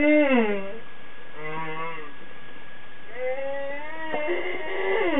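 Humpback whale song: a series of moaning, harmonic units that swoop down and glide upward.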